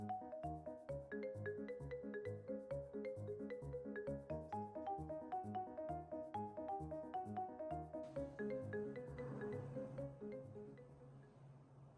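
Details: Gentle marimba-like mallet music in a bouncy repeated pattern, softening near the end, with no animal sounds.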